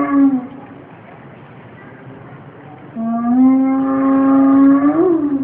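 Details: Spotted hyena recorded at Planckendael: a short low tonal note opens, then after a quiet gap a long, steady, deep harmonic hoot holds for about two seconds before bending upward at the end, over a faint background rumble.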